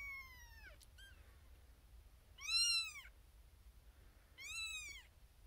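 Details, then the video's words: Tiny female kitten, the litter's firstborn, born April 2021, sharing a birthing box with six littermates and crying for her owner; loud, bright, rising-then-falling meows, one trailing off, then two strong calls about two seconds apart, over faint room noise. "SMALLEST Kitten BIGGEST Meow"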